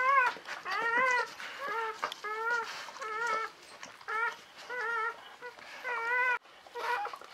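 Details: Newborn Czechoslovakian Wolfdog puppies, part of a litter of five females born 21 November 2020 at a breeding kennel, indoors: repeated high, wavering whimpers and squeals in short bursts about once a second, with faint handling noises between cries.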